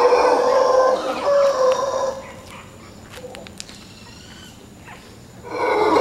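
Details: Wild howler monkeys near Quepos, Costa Rica, give deep, droning, roaring howls for about two seconds, then a quiet gap with faint rustling and clicks before the roaring swells again.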